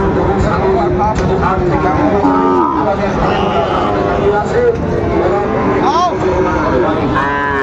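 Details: Sahiwal cattle at the Raniganj cattle market in Dinajpur on 13 March 2025, where bull calves are being bought and sold: low, wavering moos rising and falling amid dense crowd chatter and bargaining voices.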